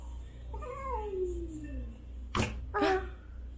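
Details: Berr, a black domestic cat rescued in January 2020, hisses indoors three days after surgery, frightened and sensitive toward his sister Ain, a calico kitten. A drawn-out falling whine is followed by two sharp, breathy hiss bursts.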